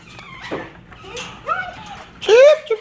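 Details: German Shepherd puppies at play in Florida: several short yelps and whiny squeals, the last a rising high whimper, with soft bumps and scuffling between them.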